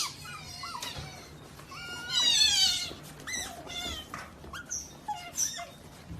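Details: Otter making a jumble of strange chirps and squeaks, some rising, some falling, with a louder wavering squeal in the middle and scattered high peeps afterward.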